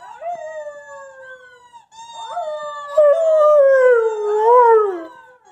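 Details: Pet dog Covi howling again as he watches an old recording of himself, short rising notes building into a long, loud, falling howl that wobbles before trailing off.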